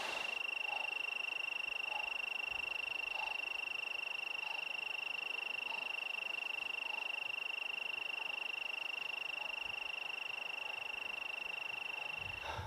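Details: A cricket in Waterton Lakes National Park, on a rocky mountain trail near Boundary Bay in September 2024, trills without a break: a steady, high, even ringing at one pitch, with faint lower pulses recurring softly underneath.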